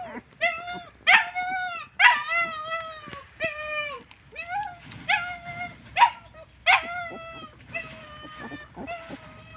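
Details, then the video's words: Hungry, thirsty homeless dogs calling out with a run of high, drawn whines and yelps, several dogs overlapping, roughly a dozen cries over ten seconds with steady sliding pitch. "Poor homeless dogs calling out that they are hungry and thirsty"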